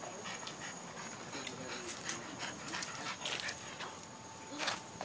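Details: Pet French Bulldog making weird noises: a run of short breathy snorts and panting bursts, irregular and raspy, with a steady faint electronic whine in the background.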